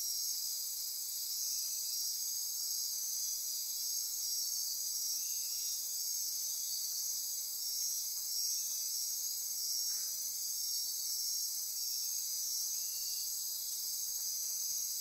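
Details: Costa Rica rainforest at midnight near Corcovado National Park, Osa Peninsula: a sustained shrill insect chorus of overlapping trills and buzzes, punctuated by a few short, faint chirps at mid pitch.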